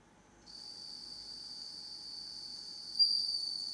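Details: Captive-raised bell cricket singing only in darkness: after a brief quiet start, a loud, sustained, pure high ringing tone holds steady with a sharper accent near the end.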